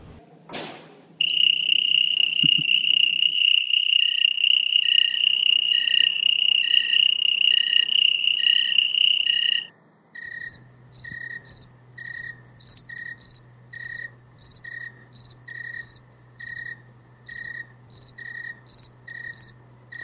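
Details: Cricket calling: a long, unbroken, shrill whistled trill lasting about eight seconds, followed by a choppy run of short high chirps repeated roughly three times per second over a low steady hum.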